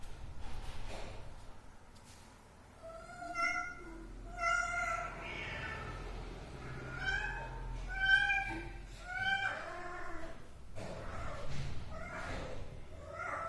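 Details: Household cat giving clear, bright meows, several rising-then-falling cries each about a second long, spaced a second or two apart, loud and close, over a quiet room with faint talking and a soft thump.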